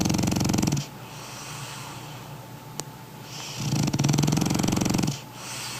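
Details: A big toy-type French Bulldog weighing 20 kg snores loudly in its sleep, each breath a rough, fluttering rattle with quiet gaps between.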